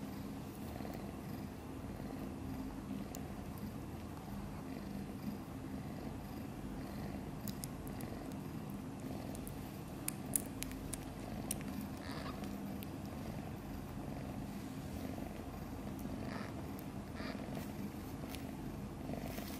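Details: Sleeping soundly, the tiny kitten Guitar, a few days old and one of mother cat Chan's litter of five, keeps up a continuous low throbbing purr, with occasional faint ticks and rustles over it.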